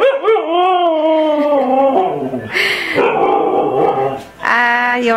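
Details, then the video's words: Siberian Husky throwing a tantrum or talking back, a long wavering howl with strong harmonics sliding up and down, a short harsh noisy burst midway, then a rising howl again at the end. "Husky tantrum"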